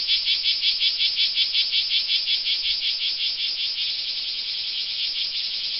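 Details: A cicada sings a loud, shrill buzz that pulses about three times a second at first, then smooths into a steady, unbroken drone.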